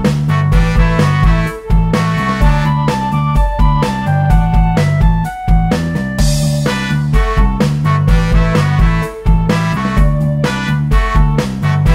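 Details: Lively jazzy piano and band music plays throughout with a steady bass beat and no animal voices.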